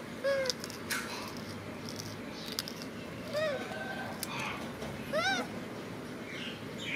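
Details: Crying macaque clutching his favourite food package gives three short, bent, plaintive wails, the last one louder and rich in overtones, between rustling and soft background noise.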